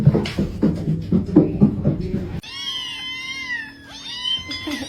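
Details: Domestic cat in a funny pets meme compilation: after a stretch of rhythmic human vocal noise, a drawn-out, wavering, high-pitched cat call with rich harmonics, then a second shorter bent call.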